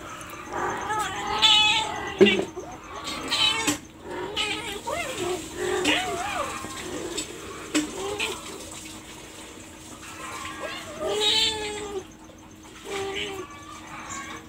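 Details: Several wavering, tonal meows from a domestic cat scattered through the recording, mixed with people talking in Bengali nearby.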